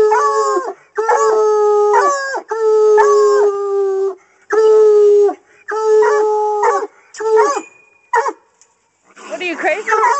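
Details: Coonhounds baying at a caged raccoon during hunting training: long drawn-out harmonic howls repeated in bursts of about a second, several dogs overlapping, with brief gaps and a choppier cry near the end.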